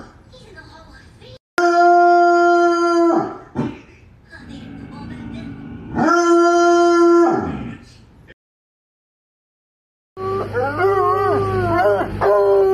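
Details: Bloodhound dog baying in two drawn-out, level, tonal howls, followed by a short silence and then a burst of wavering, yelping cries that rise and fall in pitch.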